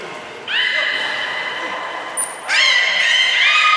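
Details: Training session with belugas Nana and Niko, Port of Nagoya Aquarium, October 7, 2018. Sustained harmonic whistles, held at a flat pitch after a swooping rise, with a brief piercing high note just before a second swooping whistle begins.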